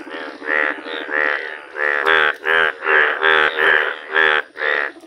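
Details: Indian bullfrogs, rare yellow colouring, calling outdoors: steady loud, reedy, pulsed croaks repeated about three times a second, rich and harsh, with a few soft clicks underneath.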